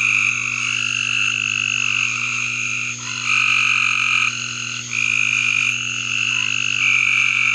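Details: A near-unbroken backyard frog chorus: high, bright trills running almost continuously with only slight dips, voices overlapping and shifting, a constant low hum in the background.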